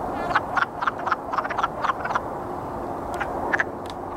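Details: Wood frogs courting, a chorus of short clucking, duck-like croaks in quick irregular bursts, several overlapping, then a brief lull before a few more clucks near the end.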